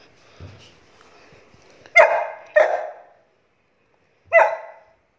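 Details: Saint Bernard named Bruno barking during play: three loud, deep harmonic barks, two close together near the middle then one after a two-second pause, with faint low thumps and quiet handling noise before them.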